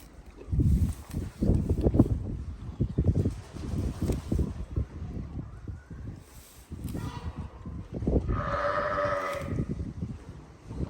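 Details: Farm donkeys munching on Christmas trees: rapid, low crunching chews in bursts, a softer pause, then a brief voiced animal call near the end.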